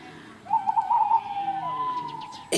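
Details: Rutting red deer at Chambord, France, in September 2021: one long, strained tonal bellow that wavers for about a second, then slides into a lower sustained note before a sudden sharp noise cuts it off.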